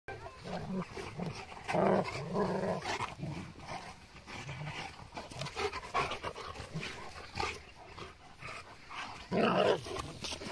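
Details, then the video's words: Boerboel and Kuvasz dogs chasing each other in play; rough growling and low barking bursts, loudest near two seconds and again near nine and a half seconds, with panting and scuffling between. "Boerboel And Kuvasz Chasing Eachother"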